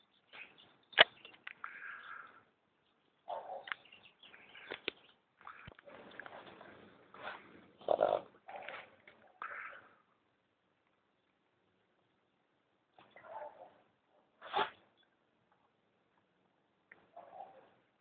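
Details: A male Boston Terrier with hayfever from running through weeds and brush snorts and sneezes in short, noisy bursts separated by pauses, trying to clear the irritation from his nose.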